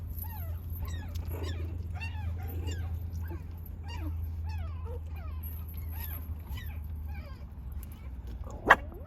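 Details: Puppies, soon to be offered for adoption, give many short, high, thin whimpers and yips that rise and fall in pitch, scattered across the recording over a steady low hum; a sharp click sounds near the end.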